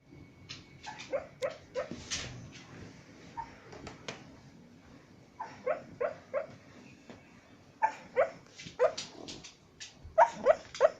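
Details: A white pet dog, asleep and talking in its sleep, gives bursts of short muffled yips and whimpering woofs, some with a tonal rising edge, in uneven clusters over a low indoor hum.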